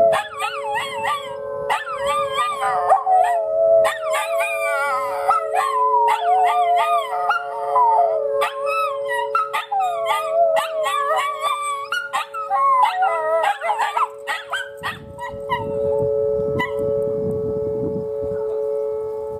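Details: Two Miniature Schnauzers howl in wavering, rising and falling tones over the steady drone of Oklahoma City's tornado siren, tested Saturdays at noon, which they dislike.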